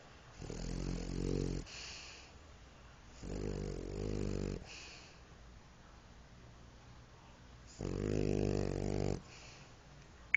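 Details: Sleeping French Bulldog gives three long, deep, droning snores, each lasting over a second, separated by quieter breathy exhales and pauses of roughly three seconds in a calm indoor setting.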